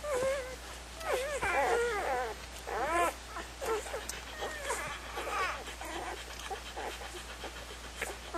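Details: Puppies whimpering and whining in high, wavering, rising and falling cries, several overlapping bursts through the clip, with some background voices.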